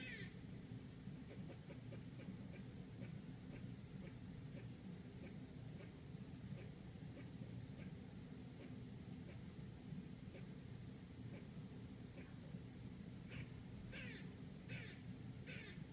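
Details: A squirrel outside a Manhattan apartment in New York City gives short, sharp barks, repeated steadily over a low rumble of city traffic.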